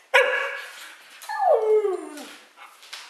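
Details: Pet dog, one of three in the household, vocalizing while being offered bacon: a sharp, harmonic yelp followed by a longer whining bark that slides downward in pitch, with a faint trailing yip at the end.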